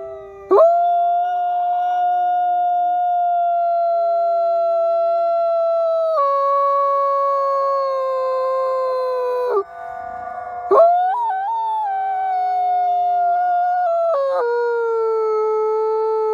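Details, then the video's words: Captive-born Canadian/Rocky Mountain gray wolf siblings Nikai and Zephyr, ambassador wolves at the Wolf Conservation Center in South Salem, New York, howling up close: long, steady, pure tones that break and restart, with a second voice layering in later. "Howling Wolf"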